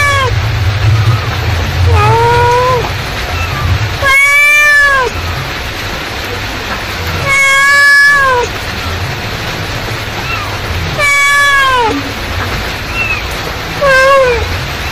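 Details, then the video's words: Mother cat calling out repeatedly: several harmonic meows, some short and falling, others longer, spaced irregularly over fifteen seconds, with softer faint meows between and a steady low hum. "suara induk kucing memanggil"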